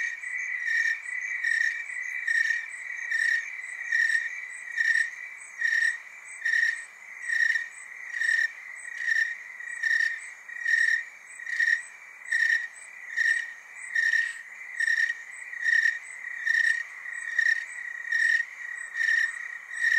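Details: Tree crickets in Oregon's Willamette Valley trill together in a steady, pulsing chorus of high, sweet notes.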